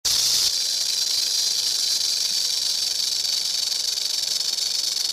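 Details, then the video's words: Rattlesnake rattling: a continuous dry, high hissing buzz without breaks, slightly louder at the very start and then steady throughout. "Rattlesnake Rattle"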